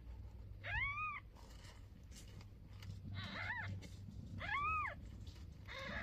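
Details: Mother cat talking to her tiny newborn kitten on its first day: three thin, high, bowed meows, the middle one fainter, separated by quiet rustling over a low hum.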